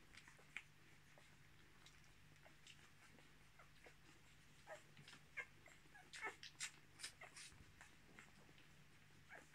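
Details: Ten-day-old Miniature Australian Shepherd puppies from a litter born 10.03.2020 give faint, thin, high squeaks and short whimpers, scattered at first and then clustering into a denser burst near the end, over a steady low hum.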